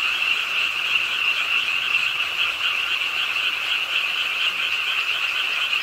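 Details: Frogs croaking at a pond's edge in Suwon's Ingye Art Park late on a rainy night, a dense unbroken chorus of high, buzzy trills blending into one steady shimmering wall of sound.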